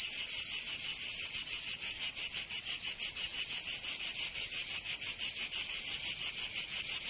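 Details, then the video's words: In southern France's Provence, cicadas sing through the summer heat; here a loud, shrill buzzing pulses evenly around three beats a second, unbroken for the whole stretch. "Canto Cigarra 🦗 [ Escuchar les cigarras en verano 10 H]"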